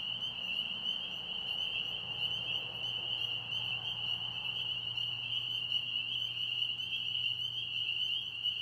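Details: Many pond frogs in Tennessee sing together in a steady, high, buzzing trill that never pauses.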